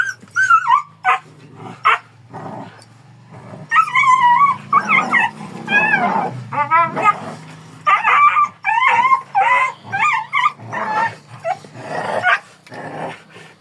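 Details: Kangal dog producing a long series of high, wavering yips and whimpers, densely repeated in the middle, mixed with lower growling and scuffling sounds.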